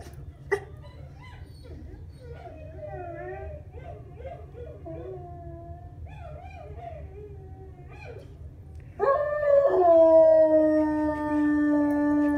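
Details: Pet dogs howling: soft wavering, quavering tones murmur for several seconds, then a loud sustained howl bursts in near the end, rich in harmonics and holding steady with a slight downward drift.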